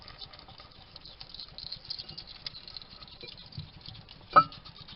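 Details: Male hedgehog eating in a Somerset, UK garden, recorded by a trail cam at a feeding station while muttering to himself: faint patter of chewing clicks, then one louder short huffing snort near the end, amid constant hiss.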